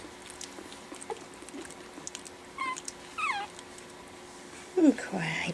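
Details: Four-week-old Pekingese puppies indoors after dinner, learning to play: a few high, wavering whimpers and squeals, separated by quiet stretches, with soft shuffling and a woman's voice nearby.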